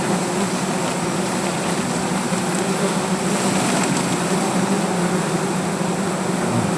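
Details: Many angry native honey bees around a wild hive being harvested for honey under a tree in Gazipur, Bangladesh; a continuous dense droning hum, steady in loudness, fills the whole stretch.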